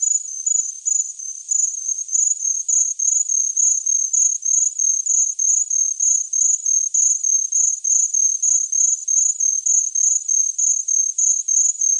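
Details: Rapid high-pitched chirps from a cricket repeat steadily around three times a second, a clean, uniform pulsing trill over a quiet background.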